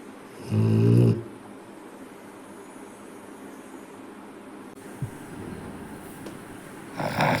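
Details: Sleeping Rottweiler snoring. One loud, low, rasping snore lasts about half a second, followed by quiet breathing, a small click, and the start of another snore at the end.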